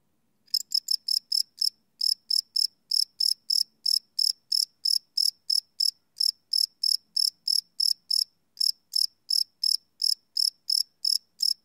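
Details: Crickets calling at night, field-recorded live on a Sony PCM D100: rapid shrill chirps beginning after half a second, then a regular train of about three pulses per second with a faint low hum underneath.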